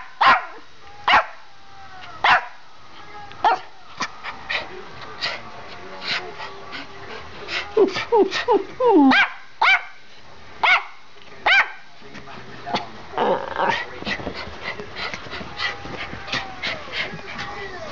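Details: Indoor barking from two Schipperkes running through the house; sharp, clicky yaps spaced about a second apart, bunching into quicker flurries, with a person speaking in the background.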